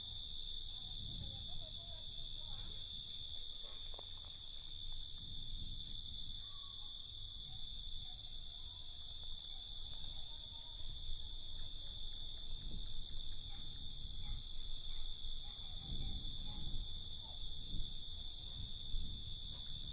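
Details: Crickets at night keep up a continuous high-pitched trill, broken by short louder chirp bursts recurring every second or so in places, while gusty low rumbling noise swells and fades beneath.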